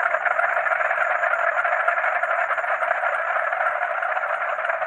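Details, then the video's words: Frogs calling at night alongside crickets, a dense continuous chorus of overlapping croaks filling the mid range, with a steady high cricket trill running above throughout; no gaps or other sounds. "Frog and Cricket Sound"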